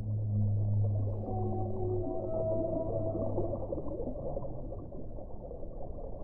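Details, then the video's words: Singing whale: a deep, sustained harmonic moan of nearly four seconds, with a fainter higher tone gliding above it, set against a constant low underwater roar. "1 ora di suono delle balene"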